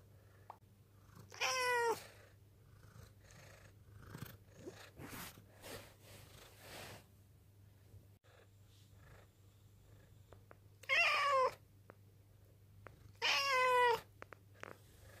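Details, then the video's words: Ten, a black cat rescued from a mountain village in 2013, appealing with a low but cute-sounding voice. One meow, a pause filled with soft clicks and rustles, then two more wavering meows close together near the end. "にゃ〰️ﾆｬｰとアピールする保護猫 A cat that makes a low voice even though it sounds cute."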